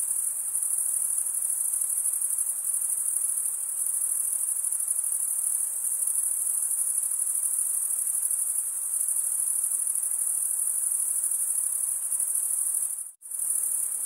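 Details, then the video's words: Chirping crickets, males stridulating with their wings, keep up an unbroken high-pitched trill. Near the end it drops out for a moment of near silence, then resumes. "Most relaxing cricket sound for 8 hours"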